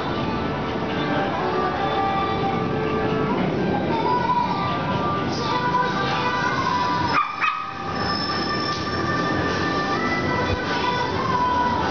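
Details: Steady loud rumble and screech like a moving train, with music and some speech mixed in and a short dip in the noise partway through.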